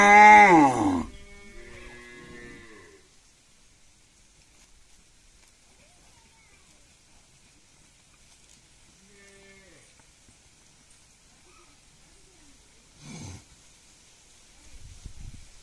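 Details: A cow at a village house gives a loud, rich moo that fades into lower drawn-out lows.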